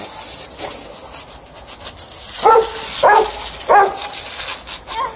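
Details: Alaskan Malamute and Golden Retriever playing with water: three short, tonal vocal bursts about half a second apart in the middle of the clip, with rubbing and splashing noise throughout.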